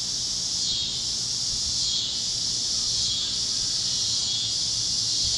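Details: Cicadas chirping over Kansas fields as the sun sets on a warm plains evening; a loud high buzz pulses in rhythmic swells roughly every second, never stopping.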